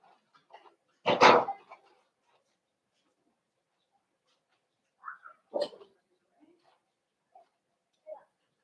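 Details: Cavalier King Charles Spaniels indoors, puppies socializing with several older dogs from the same household: one loud, sharp bark near the start, then a few short, softer yips and whines spaced across the quiet remainder.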